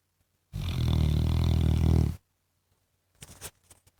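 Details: A pet Labrador Retriever gives one long, deep snore lasting over a second and a half, a low vibrating rumble, followed by a few soft clicks and rustles.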